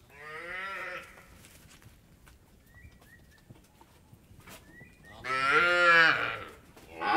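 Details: Indian dairy farm cattle mooing, a harmonic moo near the start, short chirpy bird notes in the quiet middle, then a louder, longer moo and the start of another at the end.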